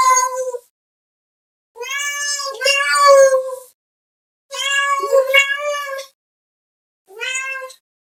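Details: Domestic cat calling another cat with a run of loud, harmonically rich meows, some overlapping and doubled into wailing cries, with brief silences between bursts.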